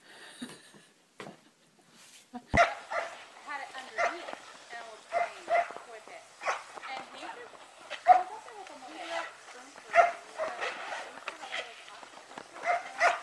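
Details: Pet Samoyed dog giving short, sharp barks mixed with drawn-out, wavering vocal whines, arriving in irregular bursts while people talk and laugh over it indoors.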